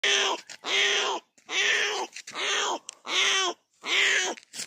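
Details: A newborn leopard cub near Pali, Rajasthan, separated from its mother and strayed out of the forest into a village, gives harsh, wailing mews in a steady series, calling out to its mother.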